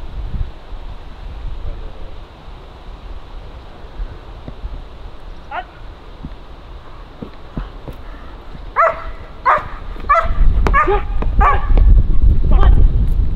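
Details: German Shepherd from Kraftwerk K9 during stress resilience and nerve strength training, outdoors: after quiet rustling, a burst of loud, harmonically rich barks repeats rapidly over the last five seconds, with wind rumble and faint voices underneath.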